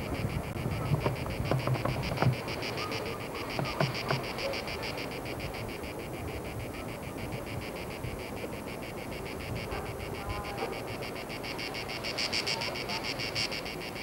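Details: Cicadas in France, recorded in 1995, give a steady, rapidly pulsing high buzz over low rumbling wind noise.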